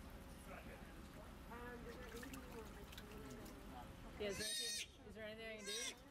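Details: Joey, a rescued baby sea otter pup in care at a marine mammal rescue, making early attempts at swimming and diving. After soft murmuring and splashing, two loud, shrill squeals with wavering pitch ring out near the end.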